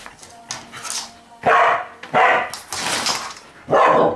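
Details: Pearlie, a dog, working off excitement by inviting Etsu to play; four loud, harsh barks about every half second to one second, with softer scuffles and a faint steady hum underneath.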